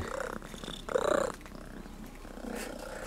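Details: Friendly cat seeking attention from visitors in Sardinia, Italy: a brief meow near the one-second mark over low background noise, with a man's voice nearby.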